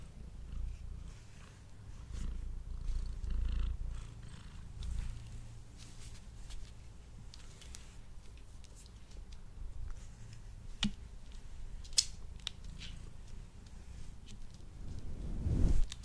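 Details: A male domestic cat purrs as he eats indoors, recorded close on a Blue Yeti microphone: a rhythmic low rumble pulsing about four times per second, rising and falling in strength, with sharp chewing clicks and a final louder swell.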